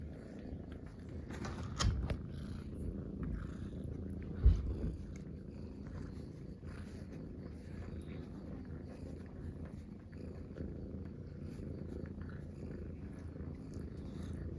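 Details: Relaxed Munchkin kittens purring together as a trio while lying close in a round bed; a soft, low, continuous rumbling purr, with two brief sharp knocks near the start.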